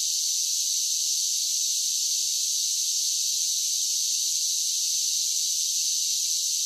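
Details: Cicadas in summer produce an unbroken, shrill, hissing buzz, even in loudness throughout, with nothing else audible.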